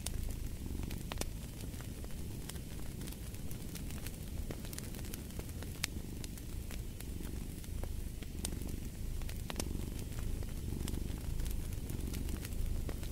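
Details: Low continuous purr of a cat beneath a busy fireplace, with frequent crackling snaps and hiss from the burning wood running throughout.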